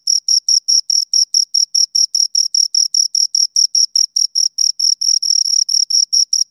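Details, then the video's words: Shrill stridulation from two crickets: a steady train of short, high, metallic pulses, about 143 per minute, slightly overlapping toward the end, in otherwise silent surroundings. "Two Crickets Chirp Sounds"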